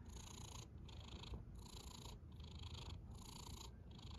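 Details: Snoring cat, quiet and close, with about four slow breathy surges in a few seconds, each a soft rasping hiss over a deep continuous rumble and separated by brief quieter gaps.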